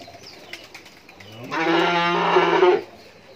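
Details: Rani Shankar cattle, a pair of ten-month-old heifer calves on a dairy farm in Bhangura, Pabna, Bangladesh; one loud, steady, low moo lasting over a second, rich in harmonics, with faint bird chirps before it.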